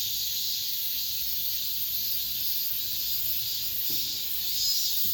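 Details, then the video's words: Cicadas singing in an apartment complex near the end of summer, the last cicada sound of the year: a steady, dense, high-pitched hissing buzz that holds without a break, with faint low hum underneath. "올 여름 마지막 매미소리"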